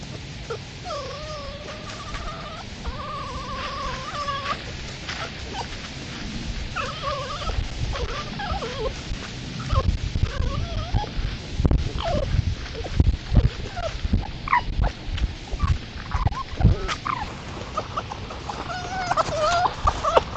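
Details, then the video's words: Red foxes at night on a woodland edge among fields in East Sussex, caught by trail camera while playing or fighting: wavering whining cries with harmonics, then a run of short yips and squeals over steady low rumbling noise. "Foxes Making Strange Sounds In The Countryside"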